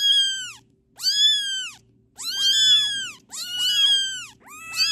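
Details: Kittens calling with high, clear, arching mews, about one per second, some overlapping as two voices, over a faint low hum.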